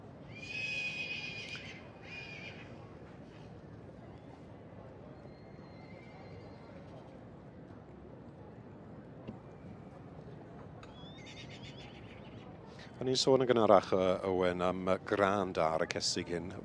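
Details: Welsh Cob mare with her foal: a high, shaky whinny rings out during the first three seconds, followed by a long quiet stretch, then louder, lower harmonic calls and noise in the closing seconds.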